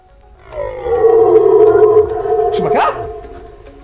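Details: A red deer stag in the Ardennes forests of Wallonia, Belgium, gives a long, droning rutting roar in September–October that swells, holds steady, then breaks upward, calling during the rut to compete for mating.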